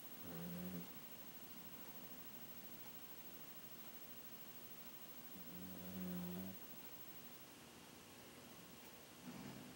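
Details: A dog asleep at home snores in slow rhythm: three low, buzzy, harmonic breaths roughly every five seconds, the middle one longest, over a soft background hiss.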